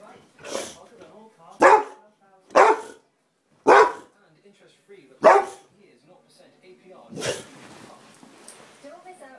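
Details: Pet Boxer dog in rough play, barking in loud abrupt bursts roughly once a second, five strong barks with low growly sounds between them and a noisier final burst.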